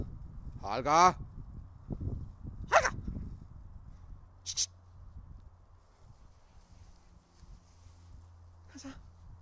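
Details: Holger, a dog that wants the stick, gives a loud high yelping bark followed by a second bark and a short later yip, with a person calling to him in Danish and low rumbling in between.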